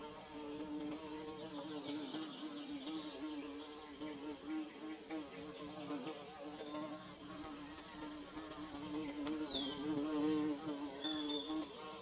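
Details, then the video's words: Bees buzzing while building their nest: a steady, low droning hum with wavering overtones that swells and fades as insects move about, and brief high bird chirps breaking in near the end. "Bee Buzzing"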